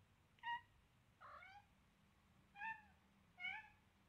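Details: Selena, a seven-week-old Siamese kitten with blue eyes, playing with a baby duck: four short, high, slightly rising meows about one second apart, clear over a low room hum.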